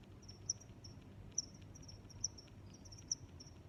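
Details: Cricket chirps, sharp and high-pitched, arriving roughly every 0.9 seconds with a softer steady high buzz running underneath and a low rumbling background.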